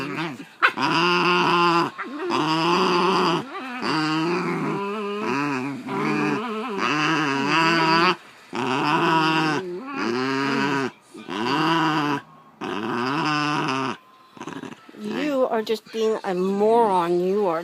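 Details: Basenjis MBibi and Kimba in a tense standoff indoors as MBibi tries to take a toy from Kimba, nearly fighting. Repeated warbling, yodel-like growls come in bursts of one to two seconds with brief pauses, turning more rapid and wavering near the end.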